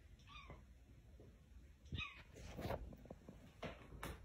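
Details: Cat at a house door, trying to get in and scratching, gives two short falling meows, then bursts of scratching and tapping noise against a low background hum.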